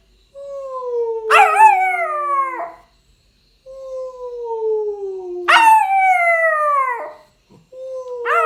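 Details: Rottweiler puppy, nine weeks old, howling while copying its owner's sounds: three long wavering howls, each starting as a steady mid-pitched tone then leaping into a louder, harmonically rich falling wail, roughly four seconds apart, indoors and quiet.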